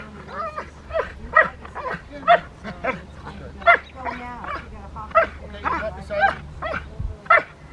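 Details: Rottweiler Poncho in IGP1 protection training at Victoria Rottweiler Club, May 9, 2021, sent to bark at the helper: a steady run of sharp, harsh barks roughly every second, with faint speech and handling noise between them.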